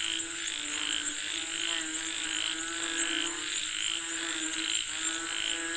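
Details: Frogs calling for rain, with pulsed calls repeating about twice a second over a dense, steady high-pitched drone and lower harmonic croaking throughout.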